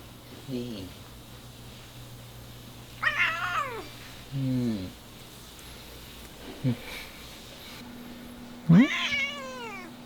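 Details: House cat indoors, upset and scared by the noise of air-conditioner cleaners, nagging with drawn-out wavering meows, a few faint short mews between them, a final long rising-falling meow, a man's soft murmurs and a steady background hum.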